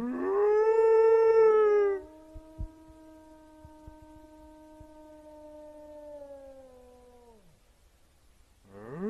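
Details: Wolf howl: a loud, bright tone that swells and holds for two seconds, followed by a long, softer, lower howl held flat for about five seconds before dropping away, then another howl starting.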